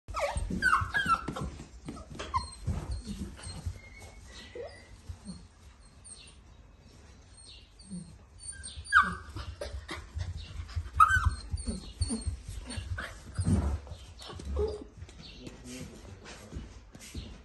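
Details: A Golden Retriever puppy whimpers and whines in short, high, rising bursts over a low rumbling background.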